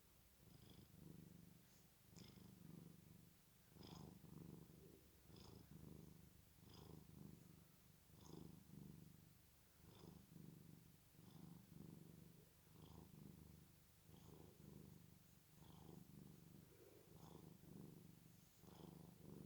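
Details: Sleeping domestic cat snoring: soft, rumbling low breaths rising and falling in steady cycles, roughly forty per minute, each with a faint hiss and purr-like buzz, in a quiet indoor setting.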